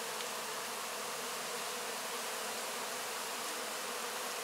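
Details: Many honey bees licking honey from wax cappings left after the harvest, recorded up close; an unbroken, even, hissing drone holds throughout with no pauses or other sounds.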